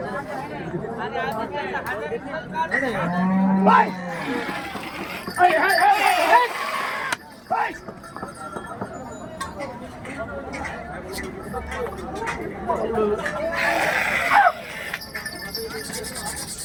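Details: Cattle at a bull market in Hirapur, a short moo near the fourth second amid busy crowd noise, men talking over each other and scattered clatter throughout.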